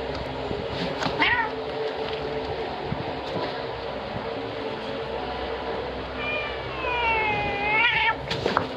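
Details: Angry adult male domestic cat slapping a three-month-old black kitten five times, filmed on a phone in the evening; two short meows near the start, then a longer falling, wavering meow near the end, over steady background hum.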